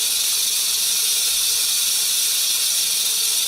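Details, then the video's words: Warning rattle of a venomous rattlesnake under threat, meant to frighten predators: a continuous, even, hissing buzz, high and dry, holding steady at one loudness throughout without pauses. "Cascavel Som do Chacoalho da Cascavel"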